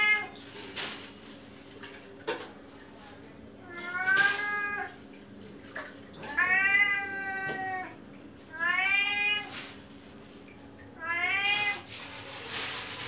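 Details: Chatty male cat calling loudly for fish indoors, giving a series of four clear harmonic meows spaced about two to three seconds apart, each arching then falling, with sharp clicks and knocks in between.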